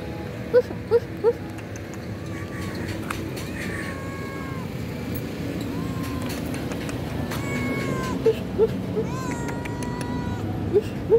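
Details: Stray cats living on the street, angry at finding no food in a garbage can, give several short, bending meows, some rising then falling. Sharp clicks and a steady background rumble run throughout.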